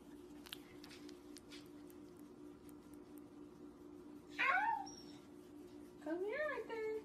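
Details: Small Corgi having its tummy scratched indoors, giving two short whining yelps with rising then falling pitch, the first a fluttering slide at about four and a half seconds, the second a wavering whimper near six seconds; steady low hum underneath.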